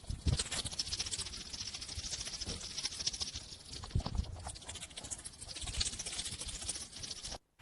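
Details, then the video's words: A hedgehog snuffles and huffs in quick, breathy bursts with a rustling patter, the noisy sniffs coming irregularly over several seconds. "Hedgehog and the sound of hedgehog."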